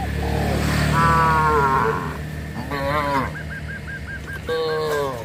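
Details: Herded cattle on a rural road give three drawn-out moos, the first nearly a second long, while a rapid series of short hooked high calls sounds between them over a low engine-like hum.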